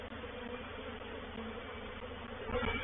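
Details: Honey bees of a reproductive swarm entering a swarm trap at Painted Peacock Manor, 04/07/21; continuous low buzzing drone with layered humming tones, growing slightly louder near the end.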